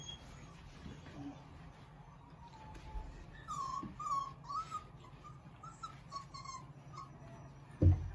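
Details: Litter of three-week-old puppies, River's pups, indoors: soft, high whimpers and squeaks come in a wavering run through the middle, over a steady low hum, ending with a short thump.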